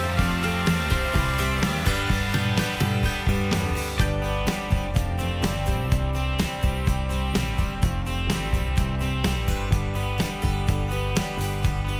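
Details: Country-style guitar music plays throughout with a steady strummed beat and a deep bass line; no animal sound is heard.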